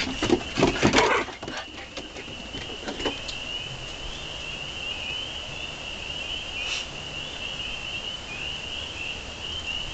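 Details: Continuous high-pitched chorus of spring peepers, many overlapping peeps blending into a constant shrill drone; rustling and knocking noises crowd the first three seconds before the chorus carries on alone.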